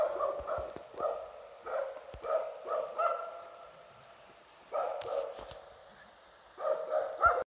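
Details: Two dogs stopping and holding a heifer at bay in Broby, barking steadily; rough, harmonic barks repeat roughly every half second, broken by a longer quiet gap before a final burst of barks.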